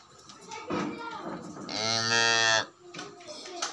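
A calf gives a single loud, nasal moo, steady and harmonic-rich, lasting about a second.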